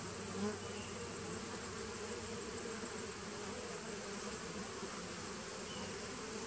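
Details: Continuous colony drone from a 2017 honey bee nuc, recorded 19 September 2018: thick, level buzzing with low resonant bands, and one small rise in loudness near the start.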